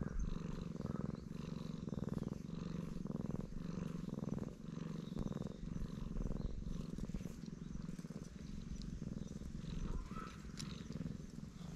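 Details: Delighted black stray cat purring loudly under stroking, a low, steady rumble rising and falling with each breath across the whole stretch, with faint rustling and a brief higher squeak near the end.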